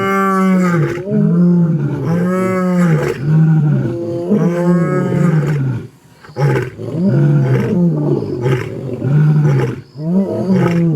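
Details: A lion in Africa roars in deep, moaning bursts, each swelling and falling, repeated about once a second.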